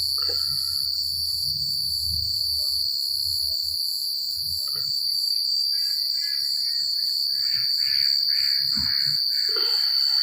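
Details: Crickets chirping at night in the secluded countryside: a steady, shrill high trill runs unbroken, with faster pulsed chirps above it. A low rumble fills the first four seconds, and scattered mid-pitched chirrups and calls rise near the end.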